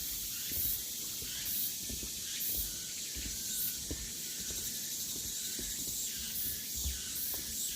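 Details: Cicadas on the Deogeumsan Solbaram-gil trail in Namwon, Korea, 16 August 2019: a high, hissing drone pulses roughly once a second against steady background buzzing, with soft footsteps below.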